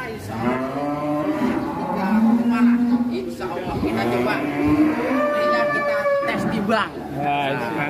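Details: A very large fattened cow, a candidate for the Qurban sacrifice, gives long, low, drawn-out moos with rich harmonics, rising and falling slightly, while men talk and music plays in the background.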